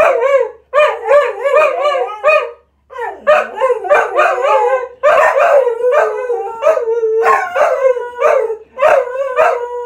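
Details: Several cocker spaniels singing in a chorus of wavering, yodelling howls and yips, notes bending up and down, voices overlapping almost without pause before one long sustained howl emerges.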